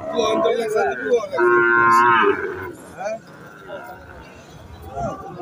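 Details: Cattle at the Dhanbari cattle market, a weekly Monday market running from noon to evening, where red Deshal and Sahiwal bulls are sold. A long, loud, droning moo rises and falls, with a shorter moo before it and market chatter afterwards.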